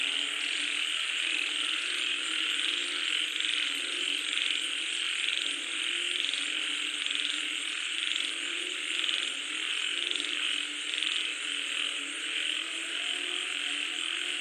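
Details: Frogs calling as rain falls: a dense, steady chorus of rasping croaks, pulsing in quick overlapping waves, with a constant high hiss throughout.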